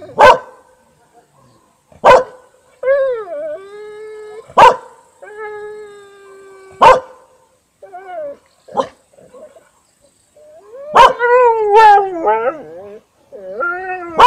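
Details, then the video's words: Siberian Husky and a yard-keeper dog trying to bark in Panoterai, Jonava district, Lithuania, evening of 15 August 2018. Sharp barks come roughly every two seconds, mixed with wavering yodel-like howls that rise and fall in pitch. "Haskis bando loti"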